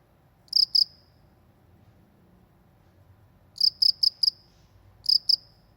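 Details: ['Countryside cricket giving sparse high chirps: a pair of sharp pulses, a long quiet gap, then a burst of four and a final pair, each note bright and ringing, faint low rumble beneath.']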